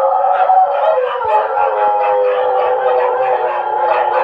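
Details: Dogs howling at 2 a.m., heard as a dense, continuous chorus of sustained mid-pitched wailing tones that overlap and waver without a break.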